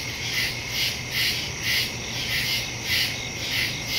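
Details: Night chorus of crickets in the woods, recorded September 2, 2023 on a Samsung Galaxy S22 Ultra with a Shure MV88+ stereo microphone; bright, buzzy chirps rise and fall in a steady pulse near two per second, over faint low rumble.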